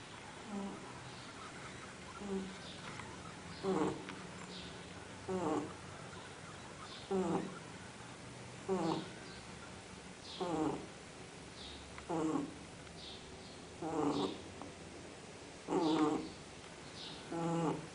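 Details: Sleeping dog snoring indoors: soft, rasping, breathy snores recur about every one and a half to two seconds, steady and even, over a quiet room background.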